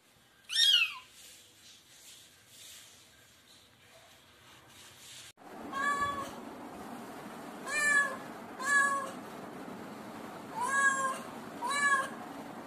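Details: Domestic cat and kitten meowing, recorded at various times; the kitten cries out when it feels insecure. After a short falling squeal and a quiet stretch, a series of harmonic meows repeats about once a second.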